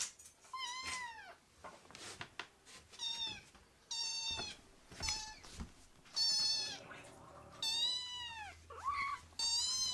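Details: Indoor foster kittens, rescued babies, giving loud piercing mews, each a rising-then-falling high cry with bright harmonics, roughly one per second, some overlapping, with brief thuds and rustles in between.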